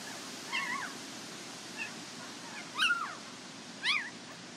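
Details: Border Collie puppies from a Nell x Skeet litter at the International Peace Gardens, 12 August 2018, one unable to settle comfortably; four thin, high whimpers, rising then falling, spaced about a second apart over a quiet background hiss.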